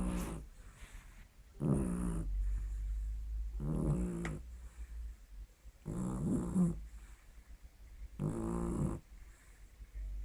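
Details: Pet dog snoring indoors in a small room: deep rasping inhalations roughly every two seconds, each a buzzy low rumble lasting under a second, separated by quieter breathing.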